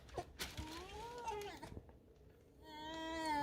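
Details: Pet fox Alisa, sulking in her corner indoors, lets out a wavering whine that rises then falls, pauses, then swells into a louder sustained squeaky whine at the end; faint room noise and a woman's voice nearby.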